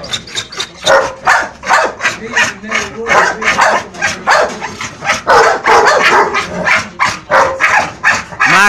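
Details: American Bully lashing out at its Boerboel companion with a steady stream of short, harsh barks, about two to three per second, rising and falling in loudness across the whole stretch.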